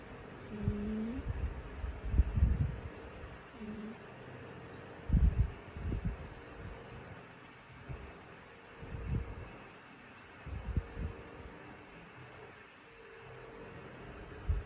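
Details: Sleeping orange cat named Orange, snoring happily indoors; low, rumbling breath snores come irregularly every two to three seconds, with a brief soft whine near the start.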